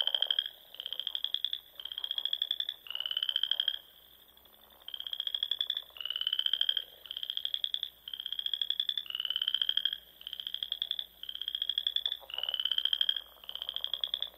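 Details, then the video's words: Spring frog song at dusk from ponds in the rolling Sandhills of Nebraska: rapid, buzzy pulsed trills, each near one second, repeat roughly every second with one short silent gap midway. "RELAXING SOUNDS OF FROGS"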